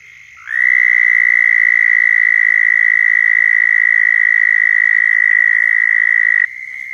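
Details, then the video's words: Florida southern toad calling to attract mates: a sustained, penetrating high trill that starts with a slight upward slide and runs about six seconds before stopping, leaving a quieter trill from another toad. "Southern Toads Calling in Florida"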